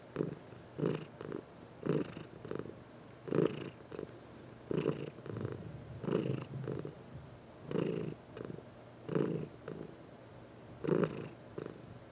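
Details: Domestic cat purring while being massaged, one of four pet cats indoors; rough rhythmic purr in bursts roughly every second, each burst rising and falling in loudness with short quiet gaps between.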